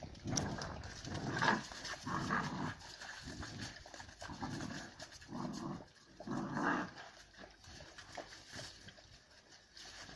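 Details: Two female Central Asian shepherd puppies, Giranda and Gardarika, of Tajik flock-dog stock, fight it out. Low rumbling growls with panting breaths repeat in pulses about once a second, rising and falling in loudness.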